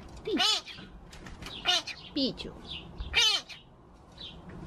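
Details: Pet talking magpie kept indoors, known to mimic speech: three loud, harmonic, speech-like bursts with bending pitch, separated by faint high chirps, in a quiet room.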